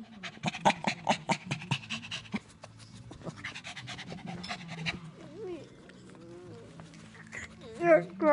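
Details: Indoors, a dog pants rapidly, then gives thin, quavering whines that bend up and down in pitch while a person asks whether it is hungry and wants food.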